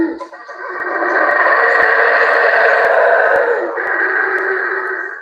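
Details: Two monkeys of one group in Palenque calling with overlapping vocalizations during an encounter with a neighbouring group; a loud, sustained roaring chorus of dense, rough sound lasting about five seconds, swelling then slowly fading.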